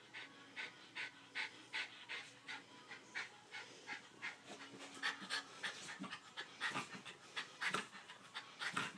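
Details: Domestic dog panting after a workout indoors; steady breathy huffs about once a second, soft and rhythmic throughout.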